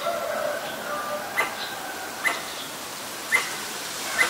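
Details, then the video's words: Pallas's squirrel (Callosciurus erythraeus) giving danger calls, Ubon Ratchathani, Thailand, on 1 January 2023, recorded with a Nikon P1000: four crisp, short barks about a second apart over a steady low tonal background hum. "กระรอกร้องเมื่อมีภัย Squirrel sing when there is danger."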